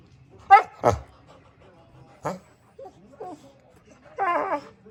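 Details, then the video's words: Samson the Boxer making funny sounds: a couple of sharp snorting yips, a brief huff, soft squeaks, and a final short whining whimper in a quiet room. "Boxer makes Funny Sounds"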